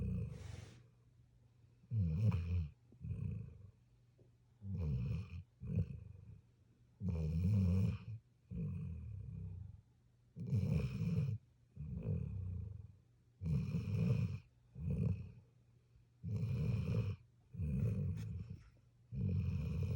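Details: A puppy snoring in its sleep, steady run of deep gravelly breaths about every second or two, alternating longer and shorter rattles, nothing else audible.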